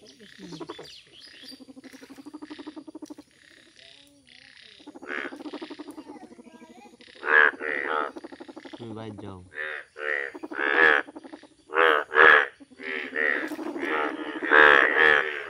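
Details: Indian bullfrogs, bright yellow, croaking in a village setting; soft, buzzy pulsed calls at first, swelling after about seven seconds into loud, separate nasal croaks that come in quick irregular bursts.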